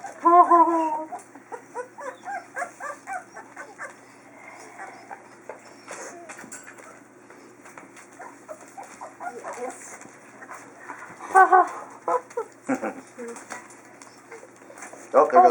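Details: Chinook puppies of the Zen litter during a feeding on 12 February 2012, giving high, wavering squeals at the start and again around eleven seconds and at the end, with soft murmuring voices and low rustling between.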